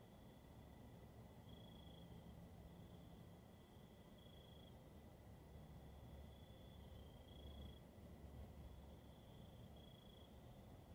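Crickets give a steady, high, thin trill at night, swelling slightly every few seconds over a low rumble.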